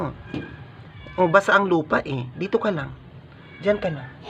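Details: A sick, dying stray cat meows while being force-fed to survive. Several short, arched, wavering meows come in quick succession, then a pause and one more meow, with faint human sounds in the background.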